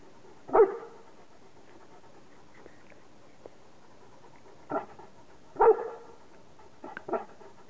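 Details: Newfoundland dog named Bear, a pet, giving two loud deep barks about five seconds apart, with softer shorter vocal bursts and faint panting between them in a quiet room.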